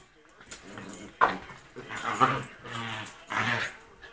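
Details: Rat Terrier at rough play, making primal noises; quieter throaty growls and whiny grumbles come in short bursts about once a second, with a sharp snap near the start and faint voices in the room.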